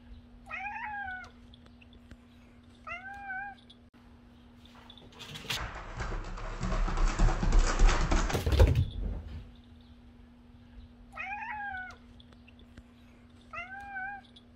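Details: A domestic cat that meant to startle someone but got startled itself: short, rising-falling meows in pairs near the start and again near the end, broken by a loud clattering rush of noise in the middle, with a steady low hum throughout.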